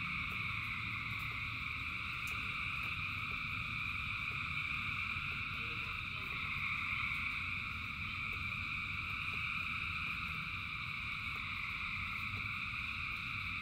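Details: Countless frogs call through rainfall, producing a seamless, layered trilling wall of sound; occasional sharp ticks of falling drops and a low rain rumble run underneath.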